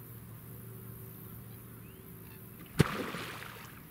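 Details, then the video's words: Male American alligator in a swamp popping its jaw as a show of aggression: after quiet low background hum, one sharp, loud clap near the end, followed by a short splashy wash of water. "American alligator pops its jaw as a show of aggression"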